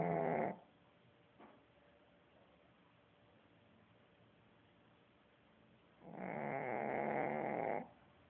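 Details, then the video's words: Sleeping dog snoring heavily: a rough, rasping, buzzy snore cut off at the start, then quiet breathing for about five seconds before a second long, harsh snore lasting nearly two seconds. "CACHORRO RONCANDO MUITO"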